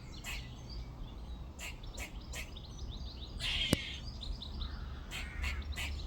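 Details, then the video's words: Squirrel calling from a tree in a back garden on a second day: repeated short rasping bursts, some in quick pairs, with a sharp click midway, birds chirping behind and distant outdoor hum. "squirrel making noises"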